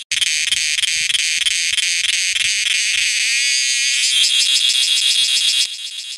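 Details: A cicada, said to call all day and night, gives a loud, shrill buzzing drone with a fast pulsing rhythm.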